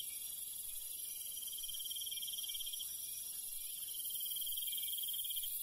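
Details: Crickets singing in the countryside at night: long rapid pulsed trills with brief gaps between them, layered over a steady shrill background chorus of insects.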